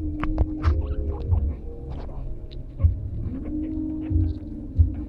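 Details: Guinea pigs, three kept as pets, caught mid-conversation with one another: sustained tonal whines and squeaks, a few sharp chirps, and repeated low rumbling pulses beneath.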